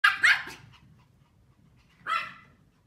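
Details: Pomeranians barking while playing, running around and chasing each other indoors: two quick sharp yaps at the start, then a single higher bark about two seconds later, against a quiet room.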